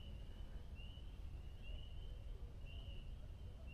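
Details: Spring peepers at Montezuma National Wildlife Refuge, New York, give faint, high, slightly rising peeps about a second apart over low wind noise, during a solar eclipse minutes before totality as it grows darker, cloudier and cooler.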